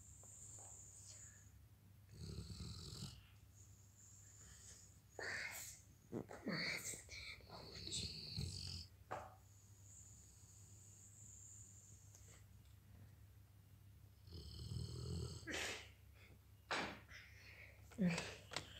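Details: A Weimaraner sleeping at home snores in slow, breathy rumbles spaced several seconds apart.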